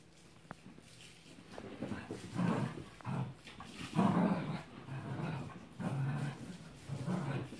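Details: Two Cavalier King Charles Spaniels, one ruby and one tricolor, chasing each other around a coffee table indoors; low rumbling growls come in bursts of about a second, roughly every one to two seconds, with light scuffling between them.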